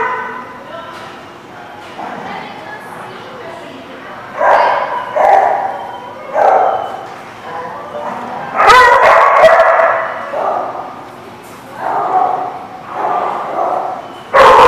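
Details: Dogs barking in short, rough bursts, several close together around the middle and a few spaced out toward the end, over a low background murmur.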